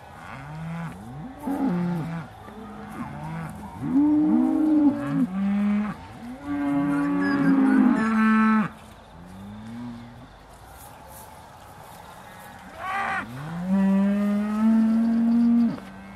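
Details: Aussie Red cows at Beaulands dairy, December 2012, shortly before milking: a chorus of overlapping moos, some bending up or down in pitch, a lull near ten seconds, then a loud long steady moo.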